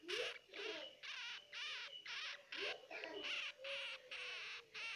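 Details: Young hamsters cry in quick, shrill, buzzy squeaks, roughly two per second, each burst wavering in pitch, with faint lower squeals sliding upward between them.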